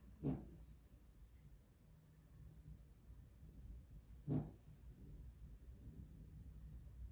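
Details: Louie, a dog, snores in his sleep: brief, abrupt snorts come roughly four seconds apart, each followed by a soft, low, drawn-out exhale against a quiet background.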